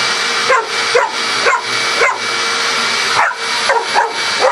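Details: Pet dog Coco barking non-stop at a vacuum cleaner: rapid, sharp barks roughly twice a second, eight or so in a row, with the vacuum's constant whooshing drone underneath throughout.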